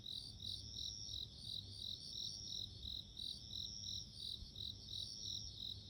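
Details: Bell cricket heard in nature: short, bright ringing pulses repeating evenly about three per second, layered over a continuous high tone, with a soft low rumble beneath.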